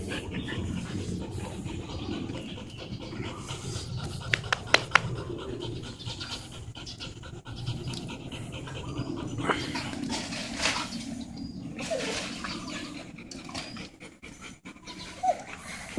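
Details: Steady, soft panting of a dog, from a group of Alaskan huskies August and Oscar and golden retriever Sugar; low breathy rhythm continues under quiet human voices and occasional handling noises.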